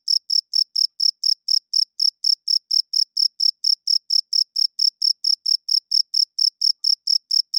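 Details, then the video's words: Loud nocturnal cricket chirping: a fast, regular sequence of piercing high chirps, around four each second, sounding alone with no background noise. "Cricket Chirping Sounds - Cricket klinkt 's nachts luid"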